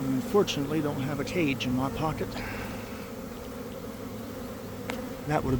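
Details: Honey bee swarm leaving a garden hive around one in the afternoon after a week of cold, damp weather. A steady low drone with rising and falling whines of single bees sweeping past close by, most often in the first half.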